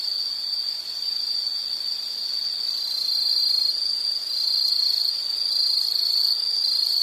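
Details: Insects singing in a calming nature-sound recording for study or sleep; a continuous high shrill trill holds steady pitch, growing a little louder after the first few seconds, with light background hiss.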